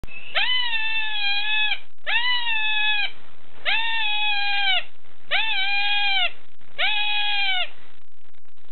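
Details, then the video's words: An unidentified small animal in a zoo near Kampot, Cambodia, screaming continuously for about ten minutes. Five loud, harsh, nasal wails of about a second each are repeated with short pauses between them, each level then dipping at the end. "Weird Animal in Cambodia"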